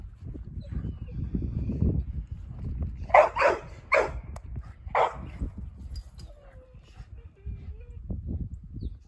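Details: DohBoy, a Boerboel dog out playing in snow, lets out a quick run of four hearty barks in the middle of the stretch, framed by low crunching, rumbling movement noise before and after.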